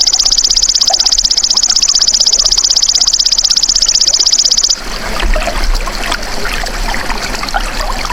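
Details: Natural call of a golden grasshopper, played to train songbirds: a bright, rapidly repeated high buzz, very regular, runs almost five seconds before stopping abruptly, leaving only a rough, splashy background hiss.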